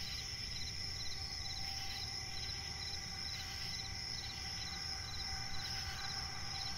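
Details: Crickets calling through the night in a forest swamp: dense, unbroken high-pitched trilling with rows of fast repeated chirps, occasional faint scratchy bursts, and a soft low-frequency rumble in the background.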